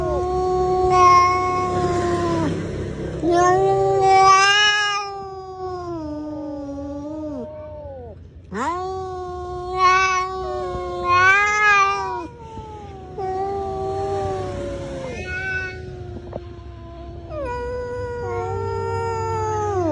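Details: Two cats in a fight trade long wailing caterwauls, drawn-out harmonic howls that rise and fall, swelling into louder yowls several times over twenty seconds, with a low steady hum beneath.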